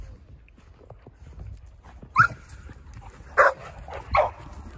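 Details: Boerboel named DohBoy running and playing in the snow, giving three loud, deep single barks spaced about a second apart, with soft rustling and low background rumble between them.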